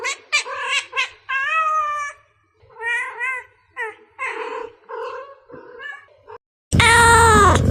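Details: Cats calling from a bamboo tree as they jump around looking for food: clusters of short meows, then longer rising-falling wails with pauses, ending in one loud, drawn-out, falling meow.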